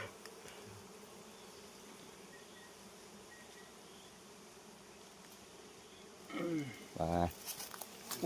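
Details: Honey bees during a honey harvest in the seventh month, giving a steady low droning hum that holds throughout, with people talking near the end.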